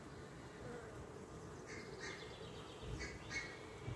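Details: Swarm colony of honey bees in a skep, one week after capture on 14 May, opened with a little smoke to view fresh combs; continuous low droning hum, with a few brief higher chirps near the end.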